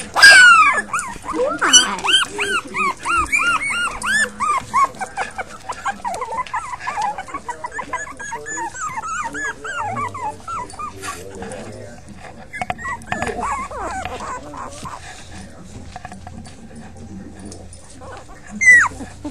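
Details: A litter of five puppies whimpering in dense overlapping runs of short arched squeaks during the first half, thinning to scattered faint cries later, with handling noise throughout.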